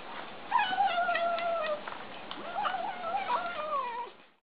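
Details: Eating kittens give thin, quavering harmonic cries, two longer drawn-out meows with small clicks and mouth noises between them, fading out at the end.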